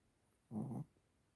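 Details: Snoring Chihuahua: a single low, grumbling breath about a third of a second long, steady and rasping, set against a quiet background.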